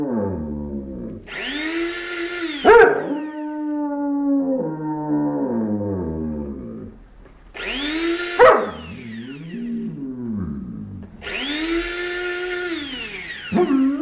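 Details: German Shepherd howling in a funny reaction: long, wavering, harmonic-rich howls with a brief rising wail and a sharp yelp between them, repeated three times, interleaved with loud bursts of broadband hiss.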